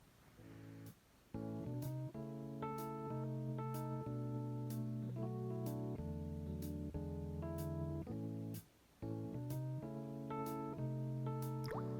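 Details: Strummed acoustic guitar chords play with short pauses between phrases and no animal sound.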